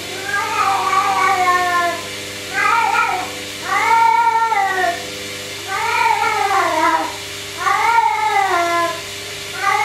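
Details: Pet cat talking to a running washing machine: a series of five or six drawn-out, arching meows, each about a second long and repeated every couple of seconds, over a steady mechanical hum.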